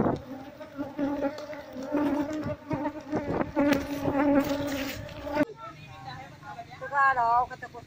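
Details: Asian honey bee (Apis cerana) colony nesting in a traditional house in Seluma, its old, untended nest being opened to move the bees into a cultivation box. A steady, low droning hum fills the first five seconds, then a man speaks over a fainter buzz.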